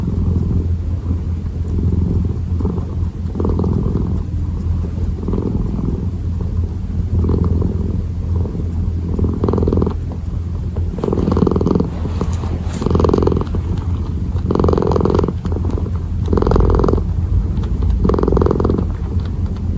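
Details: Kitten purring while kneading, a steady low rumble with rhythmic louder pulses roughly every second as it breathes in and out.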